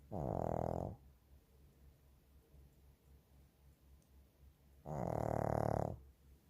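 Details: Shih Tzu snoring under a blanket indoors: two long, harsh, droning snores about a second each, roughly four seconds apart, with quiet breathing noise between them.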